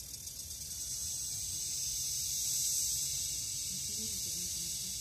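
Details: Philippine cicada, locally called kuliglig, in forest: a steady, loud, high-pitched buzzing drone that holds without pause and swells slightly mid-clip, with a faint low rumble underneath.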